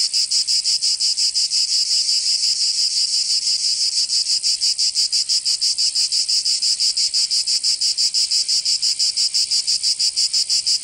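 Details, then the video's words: Summer cicadas in Provence, southern France: loud, high-pitched rasping pulses repeating steadily about three times a second, an unbroken insect drone with nothing else heard. "Canto Cigarra 🦗 [ Escuchar les cigarras en verano 10 H]"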